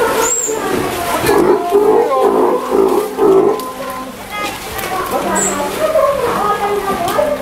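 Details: One-year-old Steller sea lion at an aquarium in Ise, Japan, shown playing freely and getting along with its family; a series of short, moaning, tonal calls repeated about twice a second, with people's voices and crowd noise.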